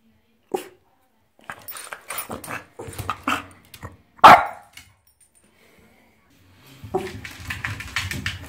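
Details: Pepsi, a French Bulldog romping in the bathtub, lets out a sharp yip, a string of grumbling growl-like vocalizations, one loud bark, then splashing and rustling noise.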